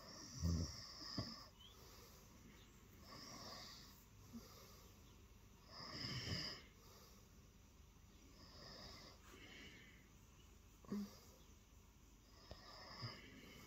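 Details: Early-morning purring from Lilo, a cat who hopped onto the bed seeking attention; a low, raspy rumble pulses in uneven breath cycles of roughly two seconds, with a few soft snorts in a quiet room.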